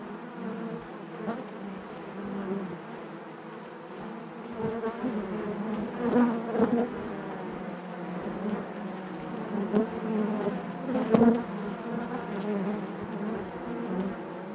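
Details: Honey bees humming within the hive, a thick, loud low drone with layered overtones, slightly swelling midway, punctuated by a few sharp taps.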